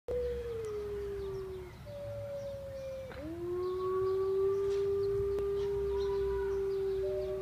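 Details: Gray wolves at Artis zoo, Amsterdam, on 18 March 2014, howl in long, smooth, mid-pitched tones that slide slowly down, then swoop up and hold.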